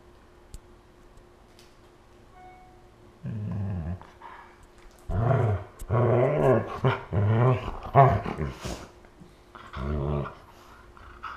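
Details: Siberian husky and malamute wrestling playfully on the floor in August 2014; after a quiet start, low growls come in several choppy bursts, rising and falling in pitch, with a final short growl.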